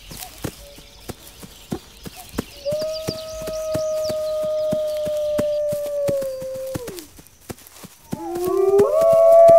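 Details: A wolf gives a long, even, flat howl that drops away sharply at its close. A second, rising howl begins near the end, louder and climbing in pitch. Steady sharp clicks tick throughout.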